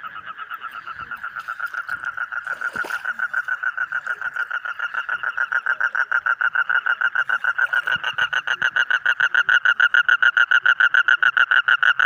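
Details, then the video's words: Frog chorus from frogs of several colours, yellow, green, red and others: short nasal pulses repeated about three to four times a second, building steadily in loudness across the stretch, with a single knock early on. "Different Colorful Frog Sound ।। Yellow, Green, Red, etc"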